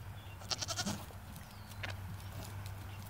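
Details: Domestic goats at feeding time give a short, harmonic bleat in quick wavering pulses, then a brief second cry, over steady low rumbling background noise.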